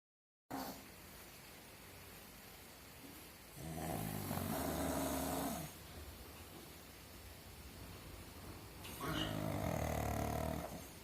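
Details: A sleeping pug snores in long, rough, rattling breaths, each lasting about two seconds.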